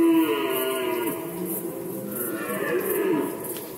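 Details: Rutting red deer recorded in Poland in 2020: a hoarse, lowing roar that begins strongly, dips, then surges again in a second groaning phrase near the end.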